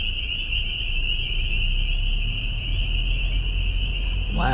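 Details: A dense chorus of spring peepers, the first heard this year, rings loud, steady, shrill and high-pitched from a hillside, with a low rumble and voices.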